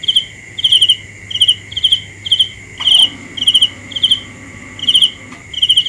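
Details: Rapid series of shrill, pulsed cricket chirps, about ten in under six seconds, with a faint background insect drone and two brief clicks midway.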